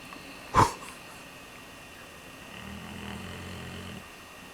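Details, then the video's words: Redbone Coonhound snoring in its sleep. A sharp knock is followed by a soft, low, rattling snore that lasts about a second and a half. "Redbone Coonhound snoring away like an old man"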